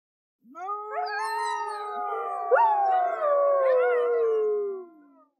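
Arctic wolves howl together, several long smooth voices overlapping and slowly sliding downward.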